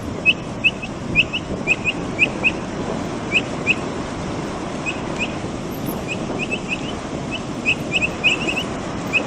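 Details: Brazilian capybara chirping while eating: short, bright chirps repeated in quick irregular bursts throughout, over a steady broadband background hiss.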